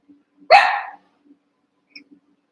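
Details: A lone half-second bark, strong at onset and tailing off, from one of eight young Cavalier King Charles Spaniel puppies wrestling and playing together in their pen, with faint rustles around it.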